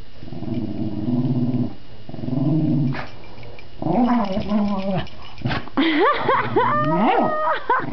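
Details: Dog at play with its new toy, giving low rumbling growls that shift into higher, wavering whine-like yips near the end, with a woman's encouraging voice in the room.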